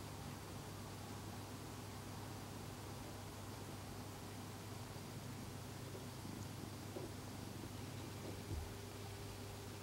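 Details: Gon, an elderly orange tabby rescued while emaciated and given a full-mouth tooth extraction, purring near another orange tabby after having its feet washed; a soft, steady low rumble runs under a constant background hum.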